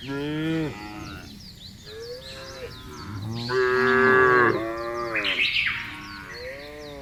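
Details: Cows in a field low with quieter, drawn-out moos that rise and fall in pitch, while small birds chirp and twitter steadily behind them.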